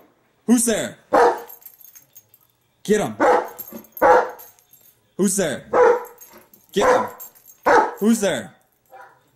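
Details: Indoor female German Shepherd reacting to footage of herself with sharp barks in pairs and short clusters, each group about every one to two seconds with silent pauses, mixed with a person's encouraging voice.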